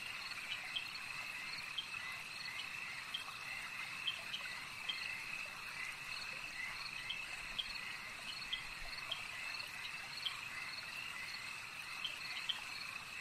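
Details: Lakeside frogs give a thick, even wall of high calls, overlaid with quick clicky notes that repeat irregularly, roughly one or two each second.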